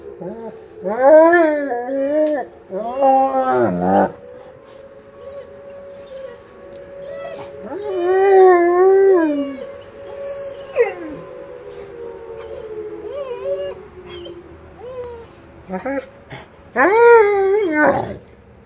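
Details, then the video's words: Two shepherd dogs, a Blue Bay Shepherd and a Lycan Shepherd, answer the monthly tornado siren test with repeated wavering howls in bursts of one to two seconds, separated by pauses, over a steady falling siren tone. "Howling Lycan & Blue Bay Shepherds"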